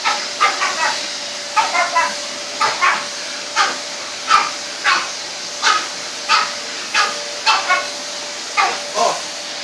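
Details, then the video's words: Indoor barking from a Pug and a French Bulldog upset by a vacuum cleaner; frequent sharp barks, often in pairs, continuing over the appliance's hum, with a human voice faintly mixed in. "Pug and French Bull Dog go mad at our hoover haha x"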